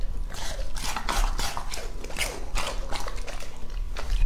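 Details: Crisp, rhythmic crunching comes from Lucky, a two-and-a-half-year-old male English-type Labrador Retriever, as he chews his food. Loud bites repeat about every third of a second in a steady chomping run.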